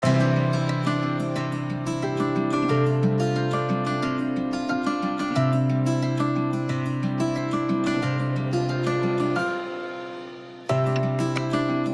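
Gentle plucked-string music plays throughout, with sustained low tones and no animal voices.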